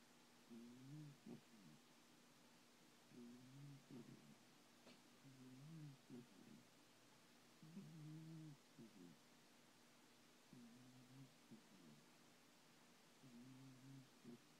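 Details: Thomas the cat snoring while sleeping and dreaming indoors: soft low purring-like snores in paired in-and-out breaths, each about a second long, recurring every two to three seconds over a steady faint hum.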